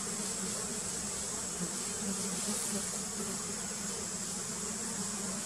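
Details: Continuous droning of many wild giant honey bees (Apis dorsata) during queen painting, low buzzing with gentle wavering swells and a steady high-pitched whine in the background.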